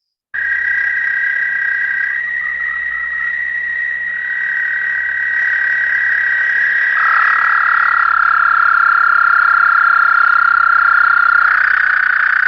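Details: American toad giving a long, high-pitched musical trill, the longest call of the local frogs and toads, lasting up to 30 seconds, each trill one toad on one breath; a steady buzzing trill runs throughout, shifting slightly lower midway as another trill overlaps.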